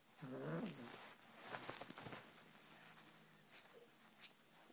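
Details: A 7-month-old male Siamese kitten gives one brief, falling meow while guarding his toy snake, followed by rustling and a steady high whine.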